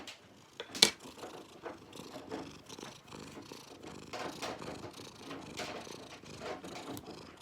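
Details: Cat purring while its claws are cut. Rapid pulsed rumbling sits under frequent crisp clipping snaps and handling rustles, with a loud snip near the start.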